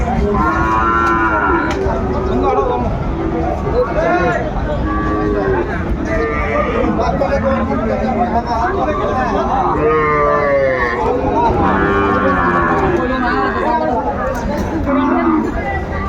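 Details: Cattle lowing at a crowded Munshiganj cattle market on 28 February 2025, where a Sahiwal bull was bought; several short, wavering moos repeat through the clip against a constant background of human speech and crowd noise.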